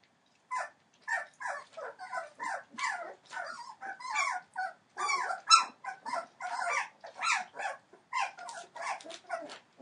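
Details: Entlebucher Mountain Dog puppies, 21 days old, from the litter of Aisha Princess of Beauty (Shadow) and Falk vom Kornried born 28 December 2013: a steady run of short, high, squeaky whimpers, one after another with brief gaps.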